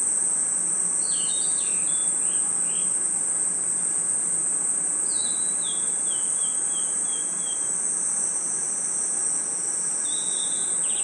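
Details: Night forest chorus of crickets and insects, an unbroken shrill high trill throughout, overlaid by a couple of descending series of whistled notes from another animal, possibly a bird, stepping downward in pitch.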